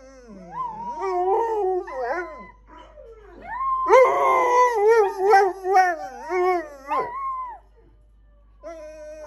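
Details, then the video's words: Several pet dogs howling together, wobbling howls building into a loud overlapping chorus in the middle, then fading to silence with one faint howl at the end. "Our dogs howling"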